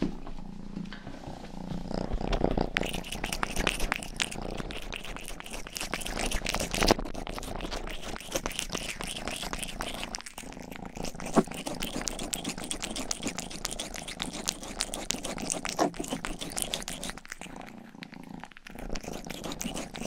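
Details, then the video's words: A pet cat named Rang-i, the youngest of the family's cats, purrs close to a 3Dio binaural microphone while grooming its ears; a continuous low purr rides beneath rapid crackly licking strokes, with short quieter gaps near the end. "ASMR 하는 고양이!(Purring & ear licking sound)"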